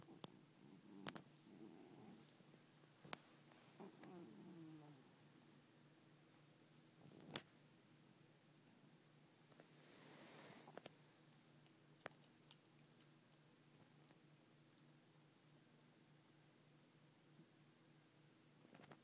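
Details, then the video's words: Male house cat, just woken up, giving short throaty grumbles early on, two brief rough bursts, then mostly quiet with occasional clicks, a soft hiss of movement and faint background hum indoors. "My cat makes some weird-ass grumpy noises when he's woken up."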